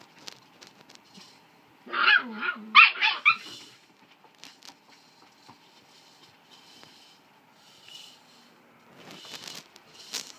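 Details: Collie puppy, 47 days old, filmed 4 July 2013, gives a quick cluster of high, yappy barks about two seconds in, a few sharp yelps close together, then falls quiet amid faint shuffling, with a scuffling noise near the end.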